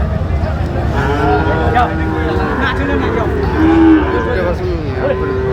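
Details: Sahiwal bull calves for sale at a Sylhet market, Bangladesh, 26 September 2025: several long, level moos, some overlapping, against dense background chatter and a low, constant rumble.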